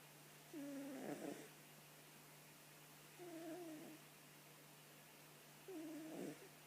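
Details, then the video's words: Sleeping cat snoring softly: three drawn-out, wavering nasal breaths, each about a second long, recurring every two to three seconds over a steady low electrical hum. "Котик храпит"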